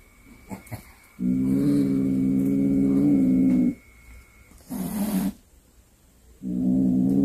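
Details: A cat that brought home a snake it hunted gives a low, steady growling yowl lasting about two seconds, then a short rough burst and another drawn-out moan at the end; faint clicks and thumps come before the first call.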